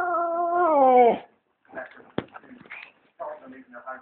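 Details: Indoors, a female British bulldog seeking attention lets out one long, steady, howl-like whimper that bends down at the end, followed by soft snuffles and quiet grumbling noises.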